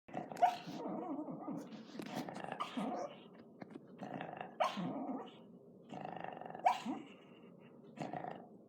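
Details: Female pet dog snoring in her sleep indoors, heard from beside a computer; rough, growly breaths in uneven bursts roughly every two seconds, with snorting noises mixed between them.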